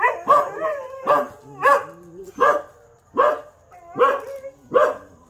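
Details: Dogs howling early in the morning after being woken by a siren alarm; a series of loud, wavering, tonal howls about every half second to second, each rising then falling, around seven in five seconds.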